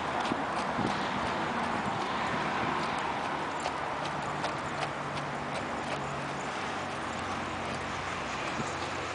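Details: Arabian horse working in a figure eight, its hooves striking in a steady clip-clop of sharp, dry knocks at roughly three per second over a constant low background hum.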